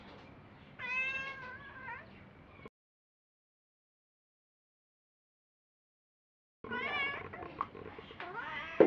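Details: Me, a house cat talking back to its owner, makes a wavering, rising-and-falling meow about a second long. After a gap comes a second, rougher meow mixed with handling noise and a loud bump at the close.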